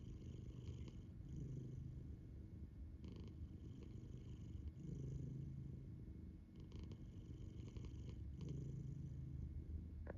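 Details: Sleeping house cat, eyes open, giving a continuous low rumble with gentle rhythmic swells of breath every few seconds, faint clicks near the end, calm indoor setting.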